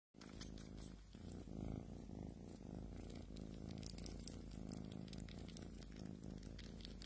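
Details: Domestic cat purring: a steady low rumbling drone with faint pulsing, continuous for several seconds, with some light crackling noise in the background.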